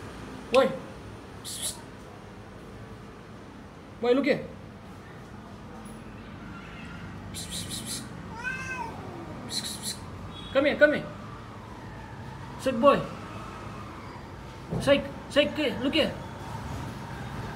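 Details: Male cat meowing several times, short rising-and-falling cries spaced a few seconds apart, one longer drawn-out wail near the middle, mixed with a person calling it and sharp clicks and knocks.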